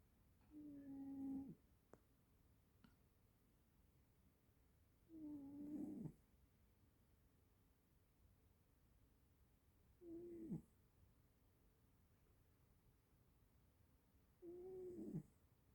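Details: Sleeping cat snoring in a quiet room; slow, even snores roughly every four to five seconds, each a short nasal rasp with a soft tonal edge, near silence between.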